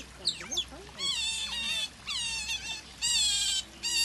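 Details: Otters seen on Saturday 24th February, giving shrill, wavering squeals in short bursts, each about half a second long, separated by brief gaps, with a steady low hum underneath.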